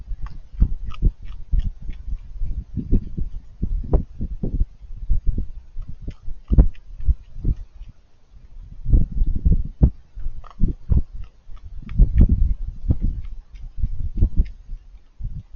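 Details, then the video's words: Raccoon crunching food while it eats, a steady run of sharp, low chewing clicks and crackles with short pauses, loudest near the end. "Raccoons Eating & Being Cute - Cute Lil Crunchy Noises While It Eats"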